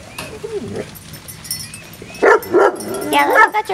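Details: Biscuit Bentley puppies at playtime give high, sharply rising and falling yips and whimpers in quick bursts near the end, loud and close, with human voices talking through the scene.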